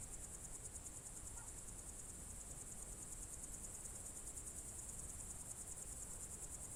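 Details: Crickets on a June 2023 evening in the Novye Buregi tract, Novgorod Oblast, Russia: a dense, continuous high shimmering trill with fast pulsing and no gaps, over a low rumbling background.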